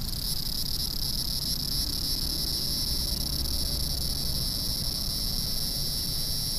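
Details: Cicada singing in a big city, a continuous dense high buzzing drone with steady intensity throughout, over low rumbling urban background noise.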